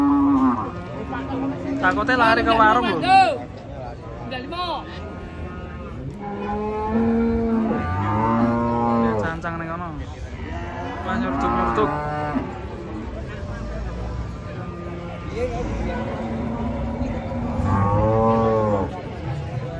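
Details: Many agitated cattle, caught and unloaded from a truck in Indonesia, give several low, drawn-out moos with rising and falling harmonics, spaced a few seconds apart, while people talk loudly nearby.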